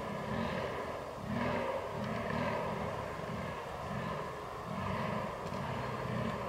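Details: Rutting fallow deer on 22 October 2022, captured with a Canon R6. Low, throaty groans pulse about once a second in a steady rhythm under a constant faint hiss of open-air ambience.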